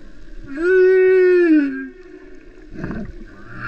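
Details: Humpback whale singing off Vava'u, Tonga: one steady, drawn-out tonal moan lasting about a second, rich in overtones and gently sliding down at its end, followed by a short gurgling grunt and water noise.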